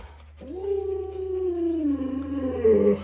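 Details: Luoluo, a pet Alaskan Malamute, howls indoors while the owner is sick and cannot get out of bed: one long, steady, tone-like howl that holds level for over two seconds, then wavers and breaks at the end.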